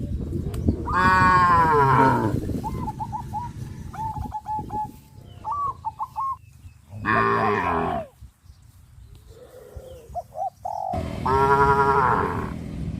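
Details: Cows on a traditional village farm, walking toward green grass fields, give three loud, drawn-out harmonic moos. Short repeated chirps from small birds fill the gaps between the calls.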